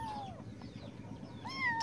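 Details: Kitten meowing while wanting to defecate, a drawn-out falling meow followed by a second rising-then-falling meow near the end, over low household hum.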